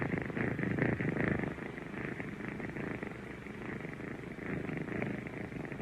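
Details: Continuous rumbling purr of kittens, pulsed and buzzy, a little louder in the first second then settling to a steady hum.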